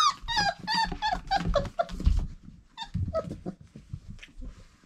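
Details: Irish Setter puppies at four weeks old, indoors, giving a rapid run of short high whimpers and squeaks, about one every second at first, then scattered weaker yelps over low scuffling and thumps.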